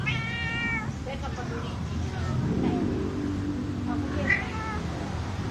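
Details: Angora cat mating with a village cat, recorded by chance while passing a house in Indonesia; a drawn-out harmonic yowl opens, followed by softer broken cries and another short wail, over steady traffic rumble and low street noise.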